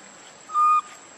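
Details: Lucie, a baby monkey, cries out for milk: one loud, steady, whistle-like note lasting about a third of a second against a quiet background with a faint constant high hiss.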